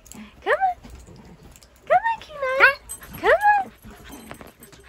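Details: Playing with a shih tzu while being urged up onto a bed, the husky puppy Kenai gives four loud, squealing whine-yelps that sweep up then down, in two pairs about a second apart, over a person's coaxing voice.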